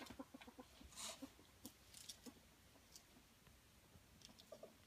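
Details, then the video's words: Ferret wrestling and playing, happily squeaking and making 'Muckern' sounds: soft, low clucking chuckles in quick uneven bursts, with a few higher squeaky notes and scattered sharp clicks and rustles throughout. "Frettchen quietsch vergnügt"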